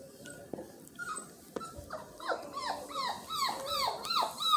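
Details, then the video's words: Miniature Australian Shepherd puppies whining: after a quieter start, a run of high, falling squeals and yelps comes quickly, several overlapping, growing louder toward the end. "mini aussie pups"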